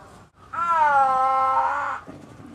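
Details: Liebe, a 21-year-old female snow leopard at Hamamatsu City Zoo, Japan's oldest, on a rainy July 12, 2024 while outdoors. A single loud, drawn-out harmonic wail lasting about one and a half seconds, steady then slightly falling, over a quiet background.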